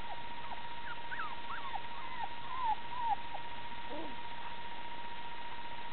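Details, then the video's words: Golden Retriever puppies gathered around a toddler give thin, high squeaks: short falling and wavering whines in a quick, loose series over the first three seconds, then a lower whimper. A steady electrical hum runs underneath. "Puppy squeaks"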